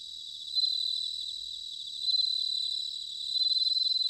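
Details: Bell crickets singing in autumn at Sanuki, Chiba Prefecture, Japan: a steady high shimmering chorus with three louder, bell-like pulsed trills from a nearby male, each lasting about a second and swelling then holding steady.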